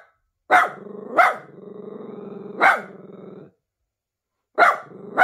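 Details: Miniature Pinscher; bark; nervousness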